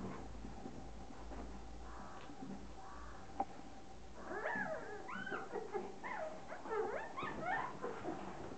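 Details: Five-week-old fox terrier puppies from one litter make a run of high, wavering whines and squeaky whimpers that overlap in the second half, over a steady low indoor hum.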